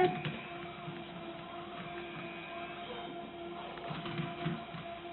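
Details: Quiet indoor room tone with a steady electrical hum and faint clicks, with no animal sound.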